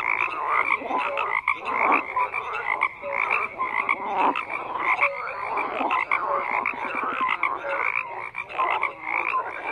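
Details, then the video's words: Many frogs croak together in a dense continuous chorus, overlapping rasping pulses and short tonal notes layered without pause, no other sounds standing out. "FROGS CROAKING"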